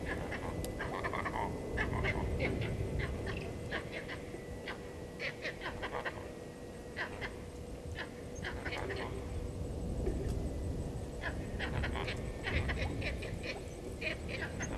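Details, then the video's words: Vervet monkeys at Gowrie dam waterhole, Djuma Game Reserve, Sabi Sand Wildtuin, South Africa, upset by the male leopard Hosana moving past, 16:52 on 08/04/19, live camera: sharp rapid chirps repeated about three times a second over steady low rumble and faint hum. "Leopard-Hosana male on move upsetting Vervet Monkeys"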